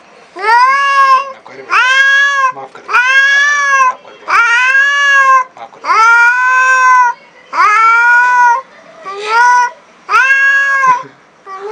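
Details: Extremely angry black cat meeting a new cat for the first time, indoors: a run of eight long, drawn-out harmonic yowls, each about a second, rising then holding steady, repeated in quick succession with short gaps.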